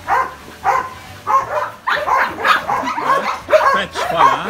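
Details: Belgian Malinois, almost two years old, giving a series of sharp, yipping barks in uneven bursts, roughly one or two per second, with a few short gaps between volleys.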